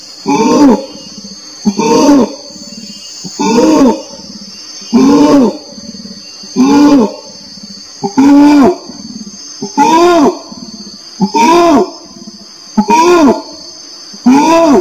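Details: Orangutan giving slower hooting calls, each a rising-then-falling harmonic note repeated roughly every one and a half seconds, with a steady high-pitched hiss behind.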